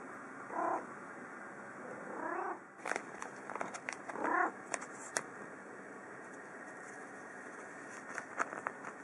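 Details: Yukke, a pet cat at lunchtime, is excited at seeing food of dry kibble with fish-flavoured topping and gives three short, bright meows about two seconds apart, followed by sharp clicks and knocks.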